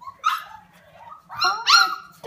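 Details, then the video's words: Alaskan Malamute puppies at play, giving bright, high whimpering yips that sweep upward in short bursts, a quick one early and a louder pair near the end, with a person's voice cooing at them between cries. "Malamute babies"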